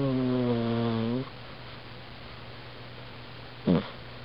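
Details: Snoring of a sleeping pet cat, filmed on a Canon A480 camera: one long harmonic droning breath lasting over a second, then silence with low hum, then a brief falling snort near the end.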